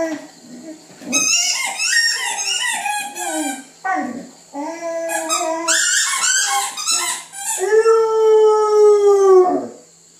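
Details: Tango, a female Catahoula Leopard Dog, sings for breakfast to gently get attention, mixing wavering howls and yelps with rising and falling pitch, ending in a long steady drawn-out howl; a faint steady hum runs beneath.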